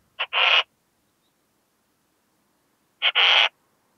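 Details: Western saddle bush-cricket at Bollenberg, France, 9 October 2022, recorded through an ultrasound detector: two double chirps about three seconds apart, each a brief tick then a broad scratchy buzz lasting under half a second.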